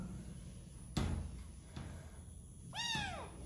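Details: Domestic cat giving a single arching meow near the end, rising then falling, after two dull thumps and a low rumbling background.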